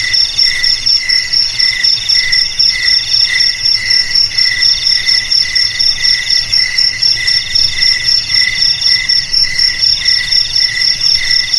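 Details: Cricket song as continuous high ringing chirps, rhythmic pulsed bursts repeating about twice per second in even waves, layered shrill tones throughout, otherwise quiet.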